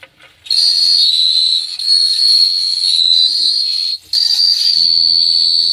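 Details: Crickets chirping at night in Phteah Prey: a loud, steady, high-pitched ringing trill begins after a short silence, runs almost unbroken with a brief dropout near four seconds, over faint low humming tones.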